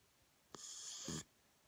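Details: A 10-month-old Pembroke Welsh Corgi, asleep, gives a single breathy, hissing snore lasting under a second.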